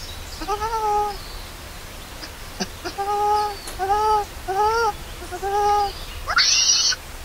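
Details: Lori, a hungry baby monkey left alone by its angry mother, cries loudly in a run of about seven short arched, tonal wails a second or less apart, with soft high chirps and a brief rustle behind.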